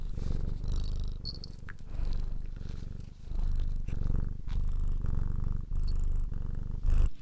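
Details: A cat purrs in long low rumbling stretches, each breath cycle separated by brief pauses, with a few soft clicks and rustles over the top.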